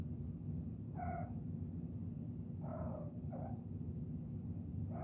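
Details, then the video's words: Kittens giving brief chirps, four short tonal calls, two of them close together near the middle, against a constant low rumbling hum. "Kittens Chirping"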